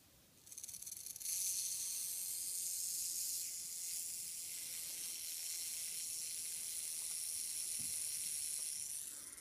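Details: Captive male western diamondback rattlesnake, possibly axanthic, hatched 2015, being fed a frozen-thawed mouse; a dry, hissing, high buzz of the tail rattle sets in after a second and holds steady and continuous to the end.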